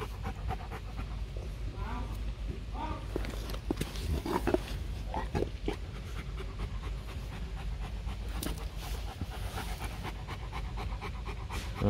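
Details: Panting from Bruno, a male breeding Rottweiler kept at a kennel in Hanoi: steady, noisy breaths repeated rapidly throughout, with brief human voices talking nearby.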